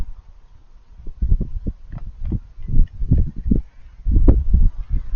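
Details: Raccoons eating, making crunchy chewing noises: a soft start, then dense clusters of short, dull crunches and smacks, some sharper clicks, coming in uneven bursts.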